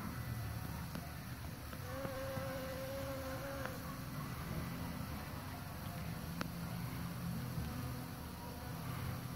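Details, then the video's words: Pollinating bees make a continuous low buzz layered with a clear, steady higher whine that holds for about two seconds mid-clip; faint ticking sounds and soft background rumble. "Bees Pollination"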